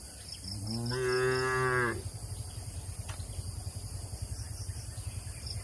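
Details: Tame cattle in a shed on a rural farm: one long, steady, drawn-out moo lasting about a second, followed by a low, rhythmic mechanical pulsing hum.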